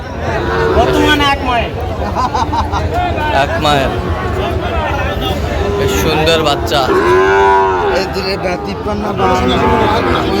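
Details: Sahiwal breed bull calves in Joypurhat, 20 October 2025, among a farmer's purchase: a drawn-out, arching moo swells and fades near the end, with earlier shorter lowing, over constant human talk and crowd babble.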